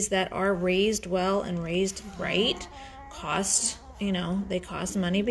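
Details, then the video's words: Five-day-old Great Bernese puppies, a litter from Lacey, a Great Pyrenees, and Castle, a Bernese Mountain Dog, getting noisy: a run of drawn-out, wavering whiny squeals, each about half a second long, repeated with short gaps. "Great Bernese Puppies are 5 days old and getting noisy!"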